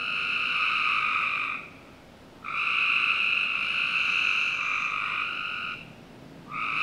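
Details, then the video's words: Frog calling on a summer night in the backyard of a Northern Virginia home: long, steady, buzzy trills lasting about one and a half to three seconds each, separated by short pauses, with a faint hum of other night sounds beneath. "Frog Night 1"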